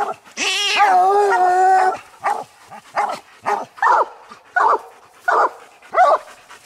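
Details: Treed coon dogs on a raccoon hunt, old Lucky, Mossie and year-old Star; a long wavering bawl lasting over a second opens, followed by a regular string of short, choppy barks.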